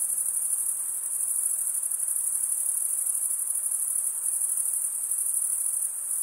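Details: Crickets chirping, males stridulating by running one wing across the toothed vein of the other: a high, unbroken shrill trill holding steady throughout, with no other sounds.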